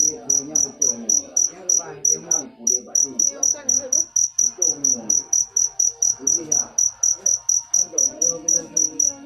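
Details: Cricket chirps come quick and shrill, close to three short ringing pulses per second, while indistinct voices murmur faintly behind.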